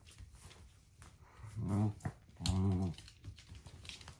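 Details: Luca, a one-year-old female blue merle Shetland Sheepdog, indoors, forcing her crocodile toy out from behind a narrow room fence: two short, low, harmonic growls about half a second each, over faint room noise.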